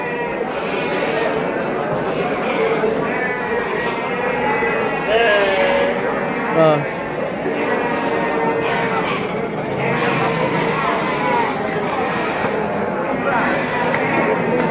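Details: Garut sheep at the Tanjungsari animal market in Subang, 2022, giving wavering, nasal bleats amid a crowded indoor hubbub with steady men's voices talking close by.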